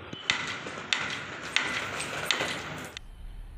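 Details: Four sharp, evenly spaced metallic taps over a steady background hiss, then a sudden drop in noise, with no animal voice.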